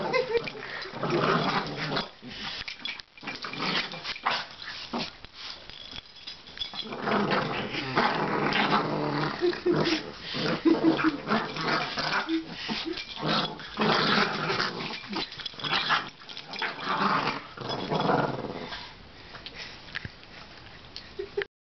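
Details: Boston Terrier producing a long stretch of raspy growls, snorts and grunts that swell and fade in uneven waves, with brief pauses and faint voices behind.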